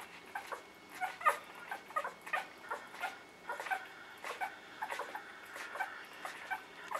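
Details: A litter of newborn puppies giving thin, squeaky whimpers and little yips, irregular and overlapping, about one or two per second, with a faint constant tone in the background.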